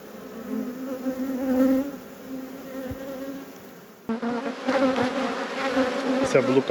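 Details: Honey bee hive in an apiary under inspection. Low, even drone of a crowd of bees, louder for a moment, then a sudden jump to a brighter, busier buzz with crackling handling sounds.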